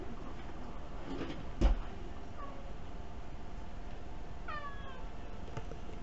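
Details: Kuri-tan, a pet cat sitting on a chair indoors begging for something tasty, recorded with an ultra-mini camera; one clear meow, a gliding harmonic cry near the end, after a single sharp knock, over a steady low room hum.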